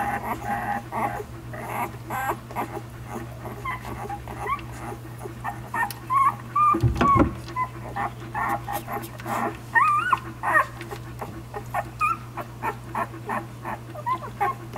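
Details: Week-old puppies suckling from Savannah, letting out intermittent short squeals and whines that bend up and down, clustered near the middle and later on, amid rustling, brief thumps and a background hum.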